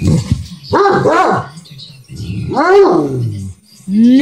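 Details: A Bloodhound talks back after hearing "no" from its owner, giving two rising-then-falling groaning howls among low grumbles, while a person keeps scolding with "no".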